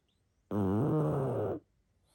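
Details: Sleeping pug giving a single loud, raspy snore of about one second, low and rattling with a slight wobble, starting and stopping sharply in a quiet room.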